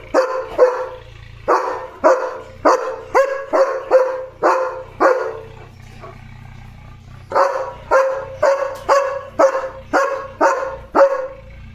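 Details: Leo the German Shepherd keeps barking at the gate, alerting to animals passing outside; loud, resonant barks in rapid rhythmic bursts, a brief pause around the middle, then another sustained volley.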